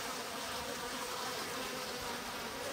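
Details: Japanese honey bees in a stacked-box hive in spring, drones among them, give a continuous even hum, quieter and unbroken, while the hive's sliding bottom board stands open.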